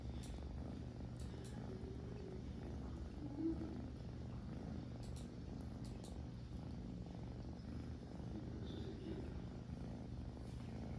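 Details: Grooming kitten giving a continuous deep, even purr, a soft vibrating hum that holds steady throughout, broken only by light clicks and one brief faint squeak.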